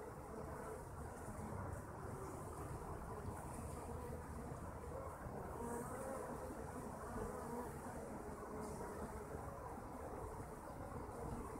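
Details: Kept honey bees produce a dense, steady low drone with no pauses. Short, thin, whining tones rise briefly above the hum, especially around the middle of the clip, like single bees flying close by.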